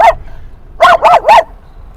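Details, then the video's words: Dog at a San Diego dog park, barking at other dogs at sunset: one short bark, then a pause and three loud, evenly spaced barks in a tight burst, with a quiet low hum behind. "Barking at Every Dog!"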